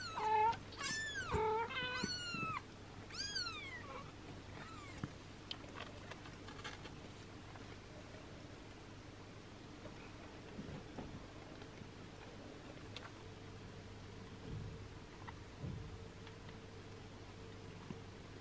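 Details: Six-day-old kittens mewing while their mother cat licks and washes them; a quick run of high, rising-then-falling mews fills the first two seconds, then only a quiet indoor hum remains.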